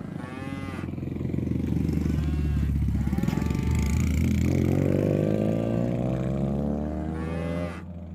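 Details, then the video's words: Village cattle herded home to their pen as a group; long moos blend into a loud, continuous low engine drone, possibly a motorcycle, which dominates much of the recording. "Mengembala Sapi Lembu Jinak dan lucu untuk Pulang ke kandang ramai-ramai"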